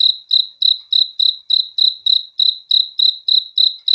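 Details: Night-time cricket song: sharp, high-pitched chirps evenly spaced around three per second, each a brief buzzy pulse, nothing else audible behind it.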